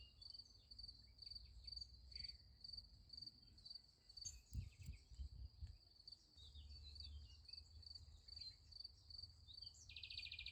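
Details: At night near a sunflower field, crickets give an unbroken high pulsed trill; a short burst of rustling thumps comes midway, and a brief harsher buzz enters near the end.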